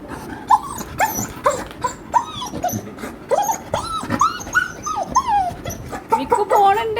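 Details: American Bully dog excited and happy about going out on a trip, giving a long series of high, rising-and-falling whines and yelps in quick succession, with people talking nearby.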